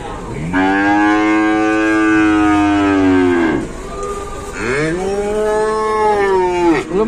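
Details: Cow trapped or collapsed during a rescue, lowing in two long harmonic moos: a steady drawn-out bellow of about three seconds, then a shorter second moo that rises and falls, with a low engine-like hum beneath.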